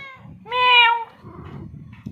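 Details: Cat giving a clear, drawn-out meow lasting about half a second, between a person's calls in Bengali, with low background noise.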